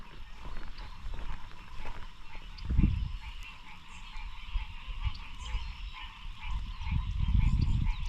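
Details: An evening frog chorus in the Ouachita Mountains and nearby lowland swamps gives many steady, overlapping trills and clicks as a continuous background, with low rumbling thumps and wind noise in the foreground.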